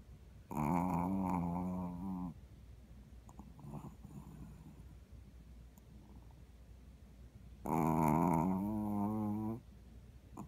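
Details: Seven-year-old neutered male Shih Tzu asleep indoors in a foster home after bladder stone surgery, snoring: two long, low, droning snores with a wavering buzzy tone, each about two seconds and some seven seconds apart, soft breathing between.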